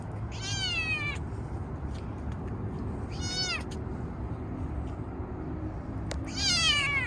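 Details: Stray kitten living in a park, being petted after being fed; three drawn-out meows at about three-second intervals, each sliding downward in pitch with rich overtones, over steady low outdoor rumble.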